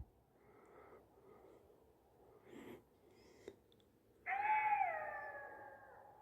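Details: Mother golden jackal calling her young near a dump of dead sheep: two faint, distant tonal cries, a rustle, then a loud, drawn-out wail beginning abruptly and gradually falling in pitch.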